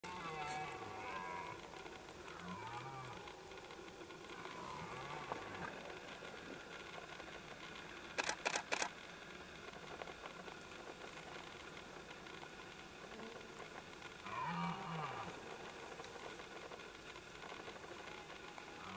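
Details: A red deer stag roars during the 2014 rut in the Knyszyn Forest, Poland, deep, drawn-out roars that rise and fall.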